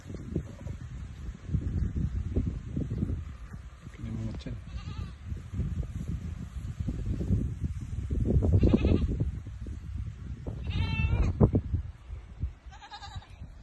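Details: Pregnant goats tied up and given water on a calamansi farm in Baloy, Cuyapo, Nueva Ecija; a few quavering, wavering bleats rise near the end over steady talking and low farmyard noise, with brief music earlier.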